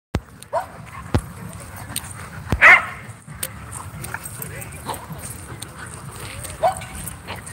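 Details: Dogs playing at a dog park on a Friday night; one loud sharp bark near the middle, a few fainter yips around it, with people talking throughout.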